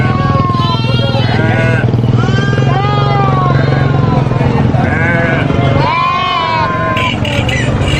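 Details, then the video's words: Baby goat screaming on a farm, loud wavering bleats repeated several times with harmonic cries that rise and fall, over a steady low engine drone from a motor vehicle. "SCREAMING GOAT BABY GOAT VIDEO FUNNY GOAT SOUNDS"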